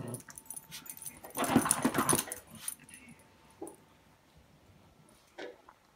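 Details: A Yorkshire terrier gives a loud burst of rough barks, then a few faint single yaps trail off among quiet background hum.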